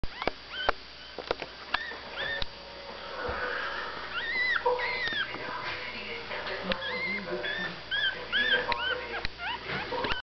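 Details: One-week-old Staffordshire Bull Terrier puppy making thin, high rising-and-falling squeals and squeaks scattered throughout, with sharp clicks and some low voices or background murmur.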